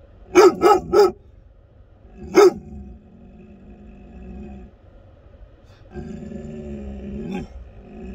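An American Akita gives a quick burst of three deep, loud barks, then a single bark.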